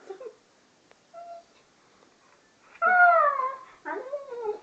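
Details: Pet Siberian Husky named Gunner reacting to a brain freeze from ice cream indoors: faint brief whines, then a loud wavering howl-like whine that rises and falls, followed by a second, lower moaning whine.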